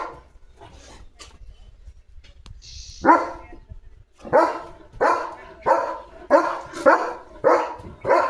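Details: German Shepherd Leo, a household pet near a small puppy. Quiet room noise and a few soft sounds come first, then a steady run of about eight sharp barks, roughly one every half second.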